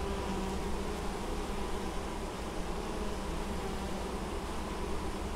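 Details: Honey bees working intensively on honeydew at the Złoto Natury apiary in Moszczanka, Opole Voivodeship, Poland, 19 August 2013: a dense, continuous low hum from many bees, with steady droning tones throughout.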